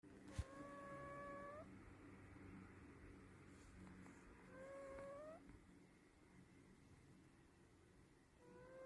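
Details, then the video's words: Sleeping cat snoring, each breath carrying a thin, whistle-like tone that rises slightly and lasts over a second, recurring about every four seconds with quiet breathing noise between. "드르렁 고양이 (Snoring Cat)"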